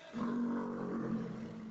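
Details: A big, old captive male Steller sea lion at the Alaska SeaLife Center gives a loud, deep, rumbling roar held steady for over a second.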